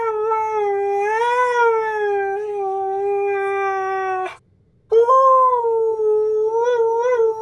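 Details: Siberian Husky giving drawn-out vocal howls: a sustained tone that swells and dips for about four seconds, breaks off briefly, then resumes with a higher start and warbling inflections; clean recording with nothing else audible.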